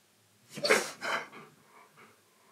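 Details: Indoor pet Siberian Husky Key grumbles back at teasing that he has a neck like a giraffe: a loud rough vocal burst followed by a second shorter one, trailing off into quieter murmurs.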